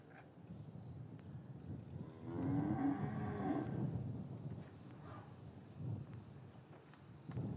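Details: Cattle in an English farm yard on a winter's afternoon, calves separated from their mothers; one drawn-out, mid-pitched low moo of about a second and a half, with soft shuffling and yard noise before and after.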